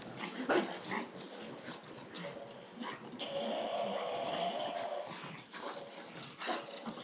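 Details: Playing bulldog making scattered short whimpers and then a longer drawn-out whine in the middle, mixed with rough growly bursts; Spanish speech and handling noises around it.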